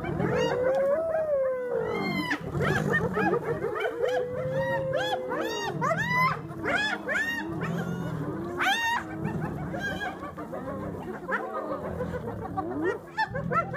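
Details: Hyena clan clashing with lions over a buffalo carcass, Kruger National Park, South Africa: a rising then sliding moan opens into a frantic tangle of high cackles, squeals and whoops from many animals over deep growls.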